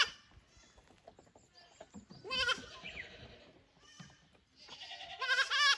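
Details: Goat kids at a Japanese goat farm on 15 May 2024, brought from the lower pasture to explore the upper one; two bursts of shrill, quavering bleats, one midway and another building near the end, with rustling between.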